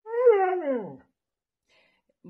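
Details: Siberian Husky giving a single drawn-out, whining howl that starts high, briefly rises, then slides steadily downward over about one second before silence.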